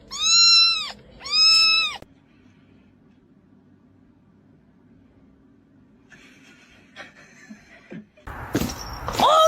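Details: Domestic cat giving two loud, drawn-out meows with arched, strongly harmonic tones, followed by a long quiet stretch, faint scraping and a burst of noisy sound at the end.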